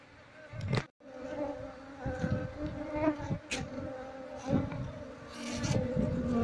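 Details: Buzzing swarm of wild Asian honey bees, part of the colony still hanging on a window shutter during relocation to a hive box; a sustained hum swells and dips among repeated thuds and handling sounds.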